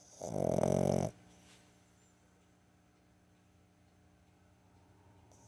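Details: Boston Terrier puppy, 15 weeks old, napping indoors in the afternoon on September 21, 2022; a single rough, rasping snore lasting under a second opens the recording, followed by several seconds of quiet.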